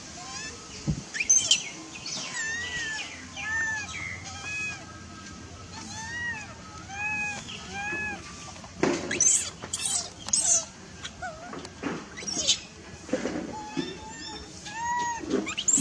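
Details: Refused milk by its mother, a baby macaque shouts in anger: clusters of short, arched, tonal cries rising then dropping, several in a row, broken by bursts of rustling and handling noise.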